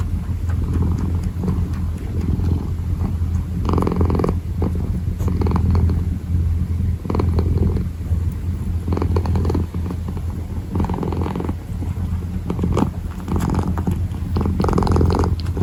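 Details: Kitten purring while kneading, a steady low rumble throughout with pulsing swells of breathy broadband texture every second or two, recorded close up in a quiet indoor setting.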